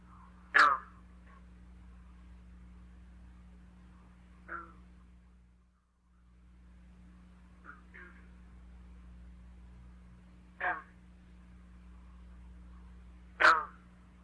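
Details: Green frog (Lithobates clamitans) advertisement call in Michigan in spring: single, abrupt, carrying twanging notes like a plucked loose banjo string, spaced several seconds apart.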